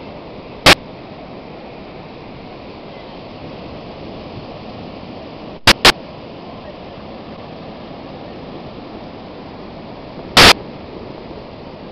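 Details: Steady rushing noise like water or wind, broken by a few sharp clicks, with no animal sound.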